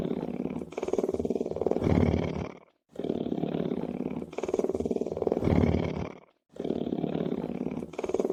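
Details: Lion purring: a deep, rumbling, finely pulsed drone in bouts of about two and a half seconds, each swelling slightly toward its end, separated by brief silent breaks. Three bouts are heard.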